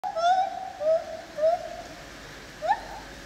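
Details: A lar gibbon (white-handed gibbon, Hylobates lar) at the zoo in Opole, Poland, gives a series of clear, rising hoots, ending in a sharper upward whoop.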